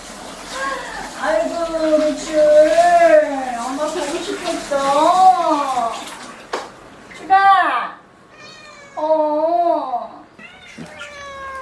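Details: Ragdoll cats coming out to greet their owner returning home: a run of drawn-out, bending meows, some rising then falling, with a person talking over the first half and brief higher-pitched mews near the end.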